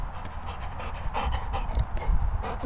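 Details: Labrador Retriever panting during obedience training, quick rhythmic breathy puffs low in pitch, while a man asks "which one?", says no and praises the dog as a good boy.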